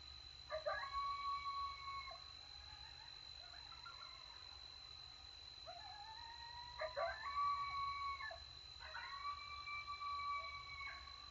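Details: Coyotes in Texas howl while feeding after a successful hunt. Long, level wails break into short bursts of yips, repeating three times against a constant high electronic tone.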